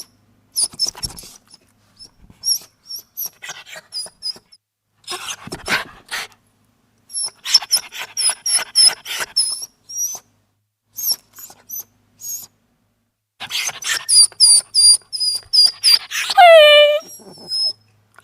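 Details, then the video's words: Small dog whimpering indoors: thin, high-pitched whines in quick bursts of several notes, broken by brief gaps and a few scratchy, breathy sounds, ending with a long whine that slides steeply downward. "CUTE SMALL DOG WHIMPER SOUND EFFECTS"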